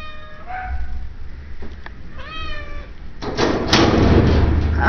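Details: Shelter cats at an animal shelter in Idaho Falls; two clear meows, the first short and falling, the second longer and arching with a rise then fall, followed by thumps and rustling handling noise.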